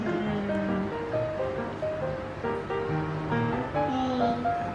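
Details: Melodic instrumental music of short sustained tones over a soft hiss, without any animal sound.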